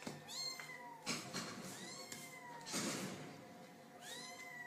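Kittens give high, thin meows that rise and fall, repeated several times with short gaps.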